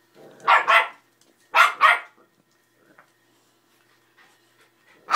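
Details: Patterdale puppy playing with and pestering a 90lb pitbull indoors; two pairs of sharp, high barks in quick doubled bursts, then quiet with faint small sounds and another bark starting at the end.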